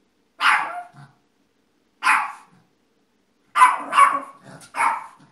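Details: Yorkshire Terrier repeating loud, raspy barks, two spaced singles and then a faster run of three barks in close succession.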